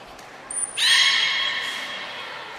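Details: During beluga training with Gray, Nana and Mirai at Port of Nagoya Public Aquarium, 10 February 2024, a short very high whistle is followed at once by a loud rising harmonic squeal that levels off and fades.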